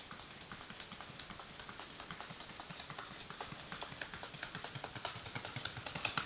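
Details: Paso Fino horse Carpintero with a brisk run of hoof taps, light and clicky, quickening and swelling in loudness over the last seconds.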